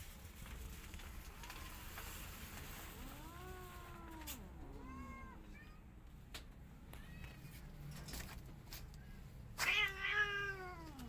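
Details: Angry white cat unhappy as a tiny kitten tries to enter her hut; a series of arched, harmonic meows, some drawn-out and wavering, others short, ending in a louder strained cry, with clicks and low background hum.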